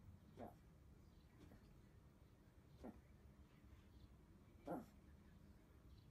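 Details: A Chihuahua rubs its nose and gives three short, snuffling snorts a couple of seconds apart. The owner reports this behaviour expresses joy and is often seen after a nap.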